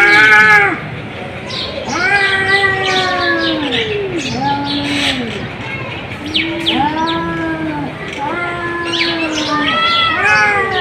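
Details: Domestic cats giving a string of arched, nasal meows, each rising and dropping in pitch, some short and some stretched, with two voices sometimes answering each other.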